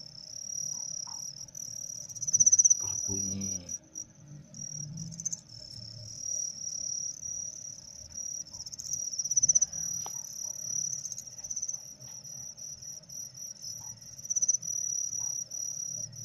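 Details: Captive crickets being trained to chirp sooner, with a tickler handmade from hair mentioned: a steady high, shrill trill runs throughout, swelling in brief louder pulsed bursts, over low room rumble and a few soft words.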